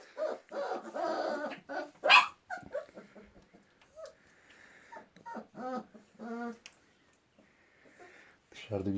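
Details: Kangal puppies being raised together with chickens on a village farm while snow falls; thin, high whining whimpers in short harmonic bursts, mixed with a man talking nearby.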